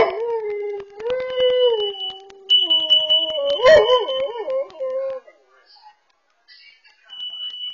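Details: Dog howling at home as a carbon monoxide sensor sounds, recorded by a Furbo camera: a long mournful howl holds level, then breaks into quavering, warbling notes before fading. A shrill electronic alarm tone runs alongside.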